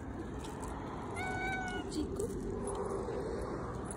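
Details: Stray brown tabby cat greeting in the morning and asking for food with a single clear, drawn-out meow lasting about half a second, over constant low rumbling background noise.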